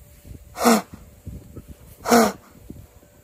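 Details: An Arabian horse gives two short, breathy, snort-like calls with a faint tonal edge, about 1.5 s apart; the owner calls it a strange sound heard only since acquiring Arabians.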